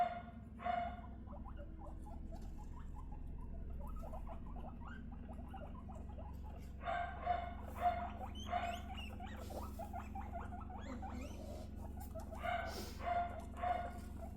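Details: Three young female pet guinea pigs, two 3.5-month-old sisters and one 1.5-month-old, being introduced to each other for bonding; many short chirping and squeaking calls in quick bursts, with louder clusters near the start, middle and end over a low background hum.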